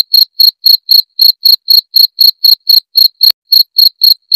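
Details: Cricket chirping loudly and clearly, a recording meant for scaring off rats or tutoring songbirds: high, even chirps about four per second, seventeen in all, with one sharp click near the end.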